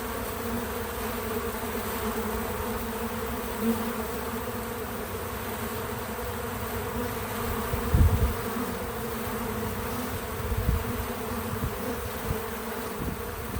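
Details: Bees at work around a feeder give a constant humming buzz, with deeper low rumbles and a couple of soft knocks partway through; untouched natural audio.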